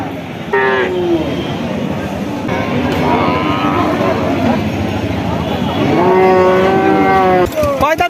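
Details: Friesian cattle at a cow market in Chougacha, Jashore, where heifers with calves are for sale. A short falling moo comes near the start and a longer, steady, harmonic-rich moo follows after about six seconds, over crowd and vehicle noise.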